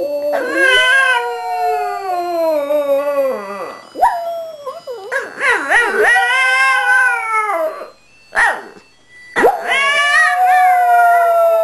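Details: Shih Tzu named Maggie singing along to Christmas music, with Molly adding background vocals; long harmonic howls that slide down in pitch, broken by wavering, yodel-like warbles, in three drawn-out bursts with short pauses.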